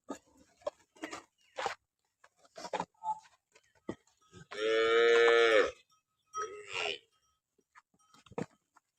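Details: Jersey Friesian cross cow offered for sale in Pakistan gives one loud, sustained harmonic moo lasting over a second, surrounded by scattered clicks, knocks and brief rustling noises.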